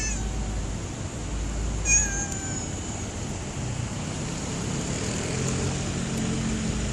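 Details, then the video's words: Homeless stray cat after rain giving a single clear, drawn-out meow that bends down in pitch near the two-second mark, with a steady low background hum of traffic and outdoor noise throughout. "Cats are meowing after rain"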